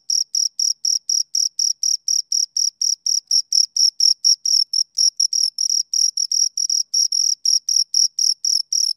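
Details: A pair of crickets chirping in overlapping trains, making a dense, fast, slightly uneven series of high-pitched shrill pulses with no pause and nothing else audible.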